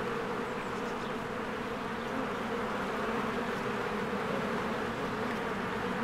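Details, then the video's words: Spring honeybee hive with many bees streaming in and out, a thick unbroken buzz carrying strong low-mid bands, constant in loudness throughout, with a few faint high bird notes over the drone. "1 Hour of a Beehive ASMR"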